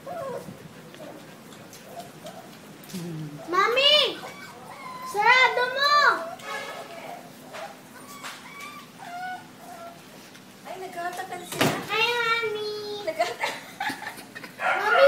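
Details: Five-week-old male Labrador Retriever puppies from a first litter, making high whining yelps and squeals in short bursts, rising then falling, with children's voices and speech around them.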